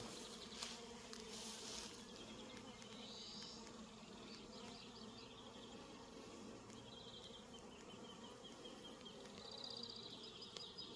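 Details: A continuous swarm-like drone of bees in a New Zealand orchard where Reg the cat is hanging out, with scattered bird chirps and distant trills over the humming.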